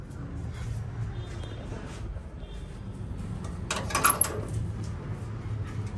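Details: Indoor room noise with a steady low rumble, a brief clattering door or cupboard sound near the end and faint voices, with no animal calls.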